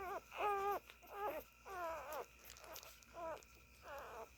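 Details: Siberian Husky puppies nursing, giving a string of five high, harmonic whines. Each whine rises, holds and falls, and they come roughly every three-quarters of a second, with quiet room noise between them.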